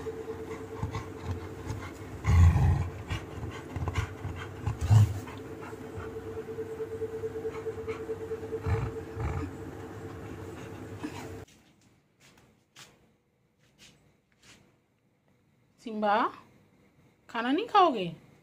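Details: Labrador Retriever named Simba, refusing to eat its food indoors; low rumbling grumbles and breathy snorts fill the first ten seconds, then quiet, followed by two short wavering whines near the end.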